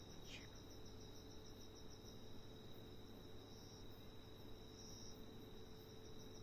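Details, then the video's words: A giant locust gives a steady, high, buzzing trill that runs on without a break. "giant locust making sounds"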